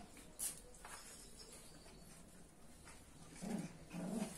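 Chow Chow puppies give soft, low whimpering calls, two brief bursts close together near the end.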